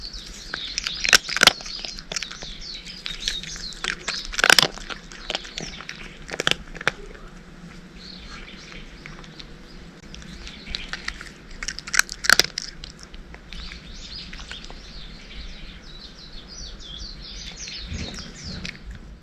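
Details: Dry cat food being crunched by a cat, the chewing coming in loud crackling bursts near the start, middle and later on, with softer scattered clicks and gentle rustling in the quieter stretches.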